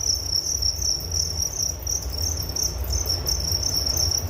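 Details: High, sizzling cricket trill, unbroken and evenly pulsed, with a quiet low-pitched rumble underneath.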